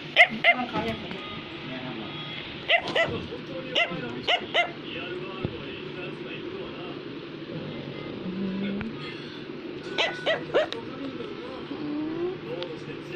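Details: Affenpinscher, a German toy terrier breed, yapping in sharp, high barks that come in scattered clusters of two or three, with people talking steadily underneath throughout.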